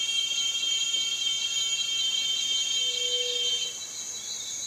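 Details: High, strident cicada whine of several layered tones, steady and loud, easing slightly quieter in the final second.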